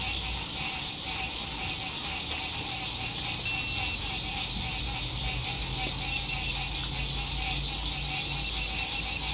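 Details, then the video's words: At a lakeside RV camp at sunset in spring 2021, frogs keep up a steady shrill chorus while short descending chirps repeat at irregular intervals, with scattered clicks and a low drone of distant road noise. "Sunset Frog Songs"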